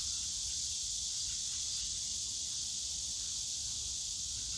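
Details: Cicadas in the bamboo grove of Yongsan Family Park on a summer day, a dense, unbroken high-pitched buzzing drone that stays level throughout, with faint low park rumble beneath.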